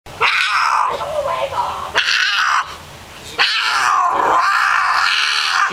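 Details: Mia, a female domestic cat in heat, caterwauls loudly: long, drawn-out harmonic yowls that waver in pitch, broken by a brief pause and a quieter stretch before a second sustained wail.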